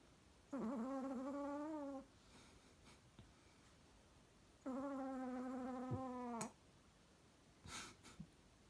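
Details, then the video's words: Chihuahua snoring: two long, tonal, nasal snores with a slightly wavering pitch, each about one and a half to two seconds, spaced roughly four seconds apart, with faint clicks and rustles between breaths. "Чихуахуа храпит нереально"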